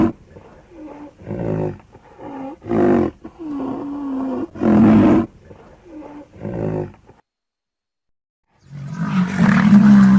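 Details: Rhinoceros calling in a series of breathy, rasping bursts, some carrying a low moaning tone that bends up then down, roughly one per second, then a pause and a louder rough roar at the end.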